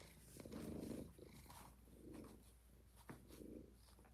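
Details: Kitten in an indoor kitten cuddle room purring steadily, possibly Rob, Faye, Fig or Fiona, its low rumbling throb rising and falling in three breath cycles over about four seconds, with one soft click partway through.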